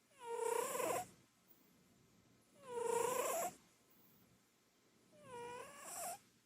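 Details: Loud snoring from a chubby short-legged Munchkin cat sleeping on the sofa at home: rhythmic rasping, tonal snores with rising-then-falling pitch, one per breath about every two to three seconds, three in total.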